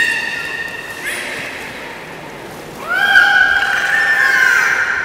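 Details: Beluga heard during the 13:30 public training at Port of Nagoya Public Aquarium on 18 July 2016. A steady nasal harmonic tone fades, a brief pause follows, then a long whinny-like call swoops upward and holds, bright and wavering.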